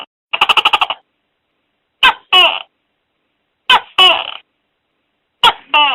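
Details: A fast series of about eight rattling pulses from a tokay gecko, followed by three loud pairs of a sharp click and a rasping, overtone-rich note spaced under two seconds apart, over silence.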